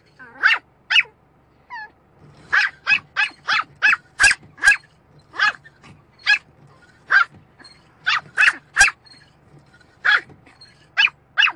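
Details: Pet dog barking at the windscreen wiper, loud yappy barks fired in rapid clusters of three to five, around twenty-five in all, separated by short gaps, a soft steady low hum beneath.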